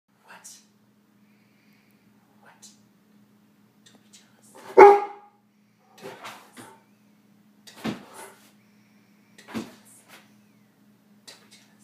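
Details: Pet dog barking indoors, still going on; scattered short sharp barks, one loud bark at mid-clip then several quieter single barks every one to two seconds, with a faint steady hum behind.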